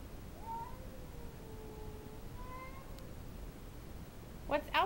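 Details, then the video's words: Female house cat growling and yowling at an intruding cat in the backyard, indoors; long, drawn-out moaning tones that sag and rise over several seconds, followed by a short burst of clicks and knocks near the end. "Cat gets territorial"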